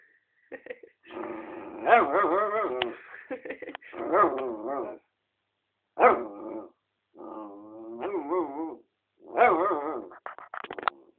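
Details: Mixed-breed dog, four years old, sitting under a chair in a bedroom, vocalizing to get attention or out of playfulness: wavering, harmonic moaning whines in several bursts of one to two seconds, rising and falling in pitch, with short pauses between.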